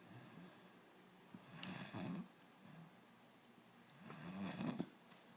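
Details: A sleeping puppy snores softly indoors, two rasping breaths about two and a half seconds apart, each a low rumbling inhale with a breathy hiss on top, quiet pauses between.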